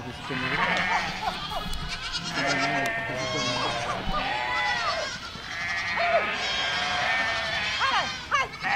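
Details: Flock of goats walking through a village, many overlapping wavering bleats rising and falling throughout, several animals calling at once in a dense chorus with short gaps near the middle and end.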